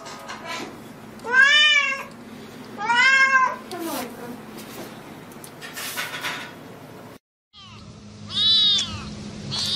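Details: Cats meowing incessantly: three drawn-out, wavering meows with rising then falling pitch, spaced over several seconds and separated by a brief cut of silence, with a steady low hum underneath.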